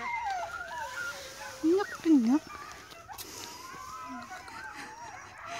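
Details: Greenland Dog puppies meet other puppies for the first time besides Siumut, 5/6/17; soft wavering whines run throughout, broken near the middle by two short, louder, dipping yelps, then a brief low whimper.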